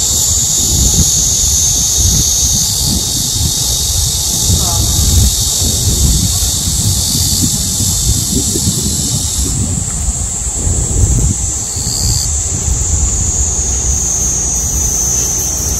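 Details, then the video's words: Very loud cicada chorus at the height of summer in a nationwide heatwave, layered piercing buzzes and a whining tone that change pitch at several points, over a low rumble and brief voices. "한여름 매미소리 - 데시벨이 엄청 나네요"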